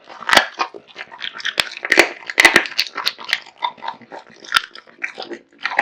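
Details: Raw meat and bone devoured by Kotetsu, a male American Bully pet dog: crisp crunches and wet smacking chews in uneven bursts, punctuated by a few sharp snaps.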